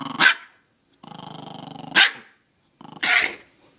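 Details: Chihuahua indoors guarding its vegetables, a sustained buzzy growl lasting about a second between three sharp barks, with quiet pauses between them.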